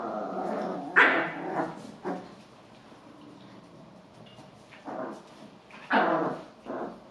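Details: Small Biewer and Golddust Yorkshire terriers, Lorka, Becca, Indy, Zoeï and Oscar, giving sharp, high yappy barks in scattered bursts, with a low growl-like murmur between them.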